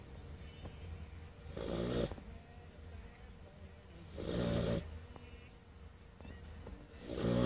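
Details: Bluetick Coonhound dog snoring while asleep after a hard day playing at the park; three slow, broad, rasping breaths about every two and a half seconds, each swelling then fading, over a low steady hum.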